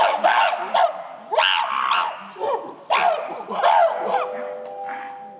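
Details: December 2023 breakfast-time clash in the Shabani gorilla group, as female Nene and her son Kiyomasa chase the silverback Shabani. A run of loud, ragged screams repeats roughly every second, ending with a faint steady tone.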